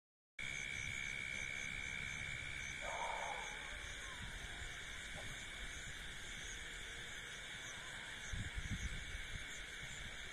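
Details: A dense night chorus of insects in a paddy field, with steady high trilling and buzzing layered at several pitches.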